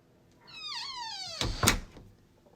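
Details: Cat out exploring nature in the morning gives a single drawn-out meow, wavering then sliding down in pitch, followed by a couple of sharp knocking thuds.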